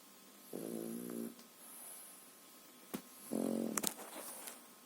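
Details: French Bulldog puppy, three and a half months old, sleeping indoors and snoring: two rasping, harmonic-rich snores about three seconds apart, the second louder and followed by a few sharp clicks and rustles.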